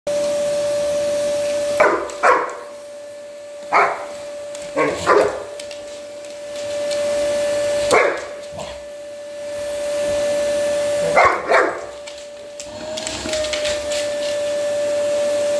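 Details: Samur, a big 110-pound Black Labrador Retriever, barks at a running vacuum cleaner indoors: deep, gruff single and doubled barks come in irregular bursts over the vacuum's steady whining hum.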